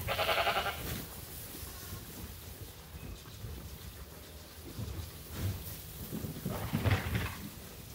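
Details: Sheep on a farm awaiting feeding time at Ewetopia Farms: one short, buzzy bleat at the start, then only low rumbling background noise and scattered thumps.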